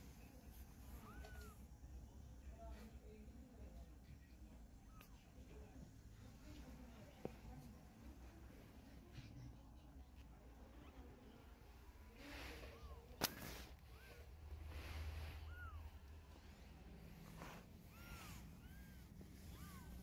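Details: Mother cat carrying her kittens in her mouth to move them; several faint, short arched meows scattered across a steady low hum and background noise.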